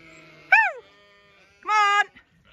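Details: Zwartbles ewes on a regenerative farm in County Kilkenny, Ireland, crowding round a feeder after the gate was left open: two loud bleats, the first falling and wavering, the second a steady harmonic-rich blare, with soft coaxing.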